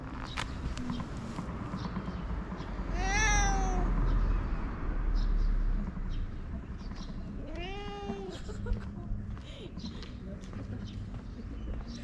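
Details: Fluffy cat in Japan meowing twice, each a rising then falling mew, the first around three seconds in and the second near eight seconds, with low rumbling background noise throughout.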